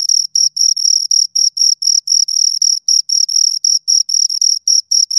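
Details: High-pitched cricket chirps from two crickets recorded up close, steady rapid pulses of a bright tone separated by brief gaps, repeating without pause over a silent background.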